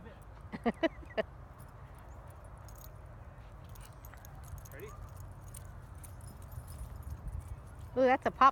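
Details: Dog playing at a dog park: three sharp, harmonic barks in quick succession at the start, a quiet stretch of murmuring background, then a rapid cluster of louder barks at the end.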